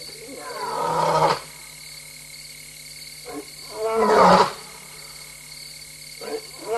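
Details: A lioness alone and restless in Tembe Elephant Park at 3:15 AM on 26 August 2022 gives deep, harsh roaring bursts, each swelling then cutting off, spaced a few seconds apart.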